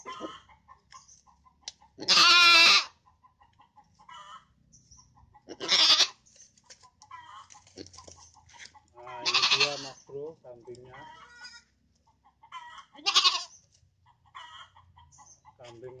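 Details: Feeder goats penned at a rearing barn in Indonesia, traded for fattening before Eid al-Adha; four loud, quavering bleats, the first long and strained, spaced several seconds apart, with soft clucking and chicken calls between them.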